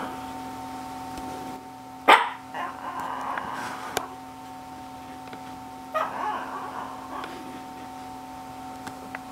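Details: Shih Tzu called GGung giving two short sharp barks about four seconds apart, each followed by softer noises, over a constant household hum.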